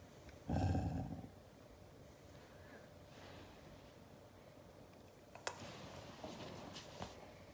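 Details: A hugged Siberian Husky lets out one short, low, throaty growl near the start, then the scene falls quiet apart from light rustles and a sharp tap.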